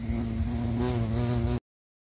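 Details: Bumblebee (Bombus pennsylvanicus) recorded in Sri Lanka, a loud steady droning buzz with a strong low hum and rich harmonics, rising slightly in pitch midway, cut off abruptly after a second and a half.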